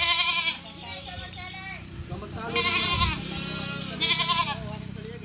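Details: Naughty pet goat bleating in three wavering, quavering bursts about every one and a half seconds, with human laughter and chatter in the background.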